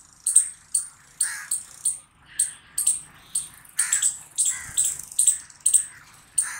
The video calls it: Squirrel Barking Loud Sound Video By Kingdom Of Awais